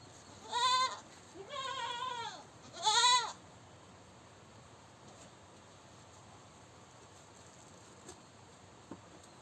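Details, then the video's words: Goat screaming: three loud, harmonic, wavering bleats in the first three and a half seconds, each arched in pitch, followed by quiet background with a couple of faint clicks. "Goat Screaming"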